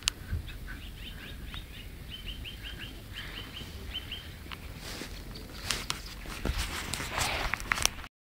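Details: Back-garden guinea pigs squeak in quick repeated high chirps for a few seconds, followed by clattering and rustling noises.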